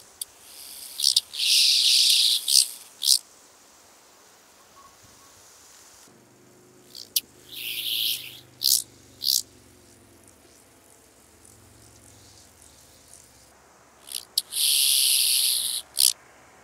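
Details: Song of a large banded grasshopper on the sunny slopes of Fließer Sonnenhänge, Austria, 16 August 2018: loud, hissing buzzes around a second long, each followed by sharp clicks, repeated in separate bouts with quiet gaps between.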